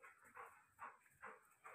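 A Rottweiler gives a quick run of short, gruff barks, one about every half second.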